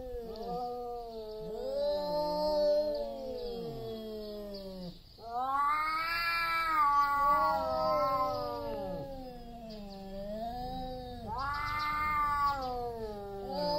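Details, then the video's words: Two big tomcats about to fight for territory, wailing continuously; sustained, wavering howls with many harmonics, two voices weaving over each other, swelling into louder, higher yowls around the middle and near the end. "LOUD MEOWING JUST BEFORE THE FIGHT."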